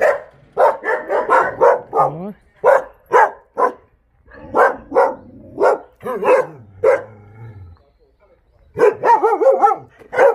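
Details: Jindo dogs at the Jindo Dog Theme Park breeding kennels, Jindo County, barking loudly and rapidly in quick series, with drawn-out whining yelps between volleys and a brief pause before a final burst.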